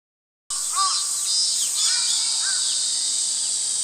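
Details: Cicadas on 11 August 2012 keep up a steady, high, hissing drone throughout, while young sparrows add scattered short chirps and squeaky notes.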